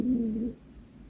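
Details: Sleep talking from Byeol, a silver toy poodle dozing off when tired: one short low wavering whine, about half a second, fading into quiet room noise.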